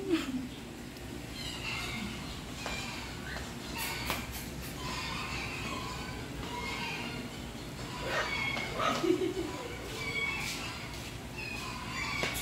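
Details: Eleven one-month-old Golden Retriever puppies from one dam, at afternoon playtime, give overlapping high, thin whines and squeaky yips over a steady low background hum.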